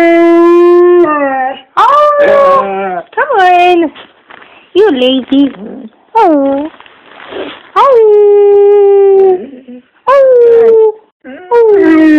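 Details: Pet dog howling when prompted by its owner, a string of sustained, wavering howls, some rising then falling, broken by short gaps, with a person's voice joining in and speaking between them.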